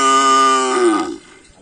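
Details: Karapan sapi racing cattle of team Konduk Alas Predator with Korban Perasaan, training at Lapangan Asemanis field; one loud, rich harmonic moo held steady for about a second, then fading into quiet background.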